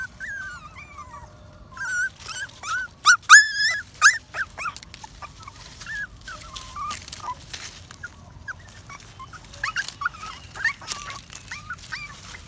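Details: Puppy walking in the woods, happy, giving high whiny whimpers and yips that rise and fall, loudest around three to four seconds, then softer squeaky calls scattered through the rest amid rustling steps.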